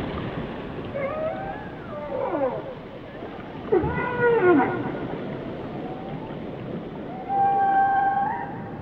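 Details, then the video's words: Whales singing: descending swoops and a short upsweep, then a steady harmonic-rich moan toward the end, set against continuous low underwater noise. "Song of the Whales"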